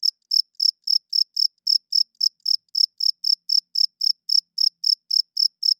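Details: Night chorus of one loud cricket, its wing-rubbed chirps meant to win females and mark territory; piercing high pulses follow one another roughly three to four per second, with one small skip mid-way.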